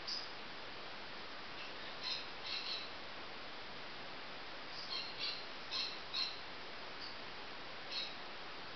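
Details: Baby marmosets giving a scattered series of short, high chirps, some single and some in quick pairs, spread across several seconds over a steady background hiss.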